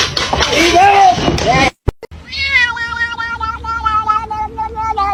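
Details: Kitten meowing: a short opening stretch of mixed noise and voices with a brief falling mew, then after an abrupt cut a long, steady, drawn-out meow with a wavering tone, music faintly underneath.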